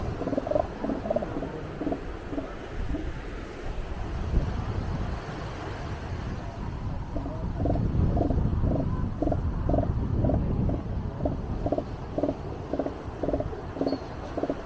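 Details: A northern elephant seal on the beach at the Piedras Blancas rookery, San Simeon, California, gives deep, rhythmic pulses, about two per second, over crashing surf; such calls serve communication and finding a mate.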